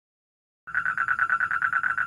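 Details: A toad recorded at a house, analysed for a university animal physiology practicum, gives a rapid, steady train of buzzy mid-pitched pulses, a male's advertisement call.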